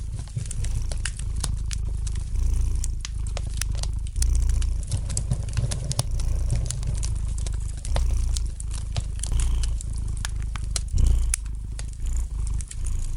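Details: Domestic cat purring softly near a crackling fireplace: a smooth deep hum with gentle swells, overlaid by steady clicking and popping from the fire.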